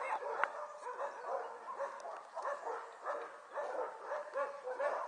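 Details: Litter of six-week-old Border Collie puppies recorded on 5 January 2013, giving a steady stream of high, wavering yips and whines, rising and falling in overlapping bursts about once a second, with faint human voices in the background.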